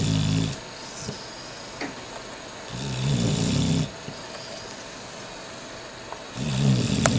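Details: Megan, a sleeping dog, snoring: loud, rough, low rasping snores of about a second each, spaced roughly three seconds apart, with quiet breathing between them.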